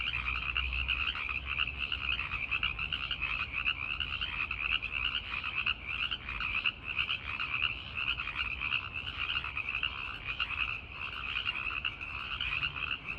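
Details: Male tree frogs calling at night to attract listening females, a dense, unbroken chorus of high, pulsing trills with many overlapping callers and no pauses, over a faint low background hum.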